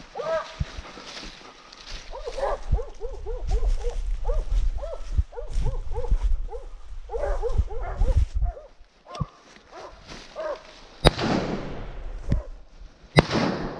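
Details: Dogs hunting wild boar: rapid, high yelping barks in quick bursts of several per second over a heavy low rumble of wind or movement, ending with sharp noisy crashes.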